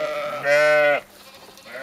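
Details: Sheep in Skåne, southern Sweden, giving one loud, steady, nasal bleat of about half a second with rich harmonics, cut off sharply, followed by quiet background.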